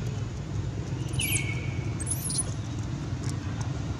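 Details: Baby monkey Baron, taken by another monkey named Bridget, cries for its mother: one high thin call sliding down and holding level, with brief sharper squeaks overhead, over a steady low rumble.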